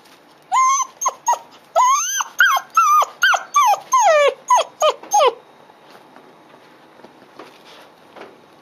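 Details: A 55-day-old female Dobermann puppy wakes and cries one morning in July 2016, on her second day home: a rapid run of a dozen piercing, wavering whines, rising and falling, then quiet room noise.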